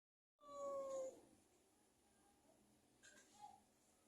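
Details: Persian cat visiting, a short steady meow near the start, then faint small room noise and a soft click later.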